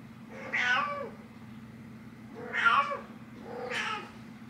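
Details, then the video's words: Waking her human mom, the cat Nyx calls three times, rough, breathy meows with arched pitch roughly one to one and a half seconds apart, against a low electrical-like hum. "Nyx The Cat Waking Her Human Mom"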